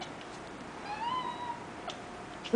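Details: Molly, a domestic cat, chattering over a dragonfly: a single soft tonal chirp that rises and then falls away, heard against quiet room background.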